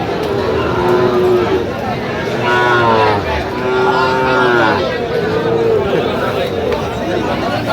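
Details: Sahiwal bull calves at a cattle market in Aftabganj, Mymensingh, Bangladesh, 27 September 2025; several drawn-out moos with arched harmonics rise and fall amid constant crowd chatter and bargaining voices.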